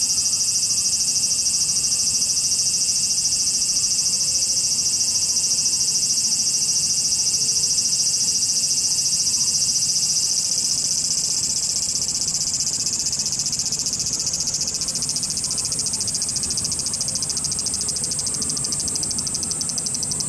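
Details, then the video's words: Swarm of cicadas in Japan giving a sustained high screaming buzz; a thin whistling tone rides on top early, and the chorus shifts and swells in texture past the midpoint. "cicada sound Japan,cicada buzzing sound,cicada noise,cicada swarm,cicada scream"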